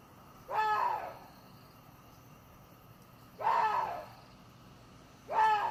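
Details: Water deer repeating a grating, hoarse scream three times, each lasting about half a second, with two-to-three-second gaps of quiet between them.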